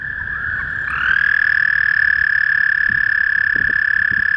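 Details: Male toad calling in spring: after a second of background, a long, steady, high, even trill begins and holds without a break to the end, with faint low rumble underneath.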